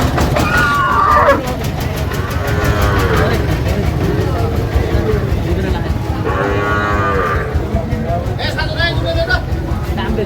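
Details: Sahiwal bull calf at a cattle market in Shariatpur, Bangladesh: two long, low, harmonic moos with a rising-falling shape, one near the start and one in the middle, over constant crowd chatter and a steady rumbling background.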